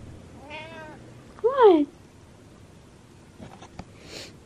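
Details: Butters the cat meowing for attention at night indoors: two short harmonic meows, the second louder with a falling then rising pitch, followed by faint clicks and a soft high chirp.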